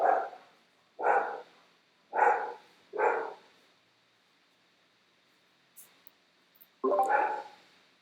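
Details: Female pet dog barking indoors during a live online class, several sharp barks about a second apart, a pause, then one more bark; the dog is calming down after being called.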